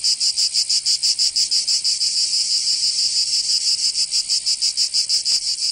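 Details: Summer chorus of cicadas in Provence, in the south of France, a loud shrill buzz broken into quick regular throbs, roughly three per second, with a brief click near the end.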